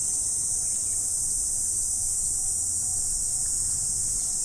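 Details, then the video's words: Autumn morning insect chorus: one unbroken, piercing high whine stays level for the whole stretch over soft low background rumble. "Morning Insect Sound Effect"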